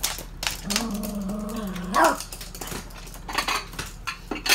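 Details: Two toy poodles at their daily 7 a.m. stuffed-toy play session: one drawn-out, steady, low tonal whine or growl held for over a second, ending in a sharp upward squeak, with rustling, thumps and clicks of play around it.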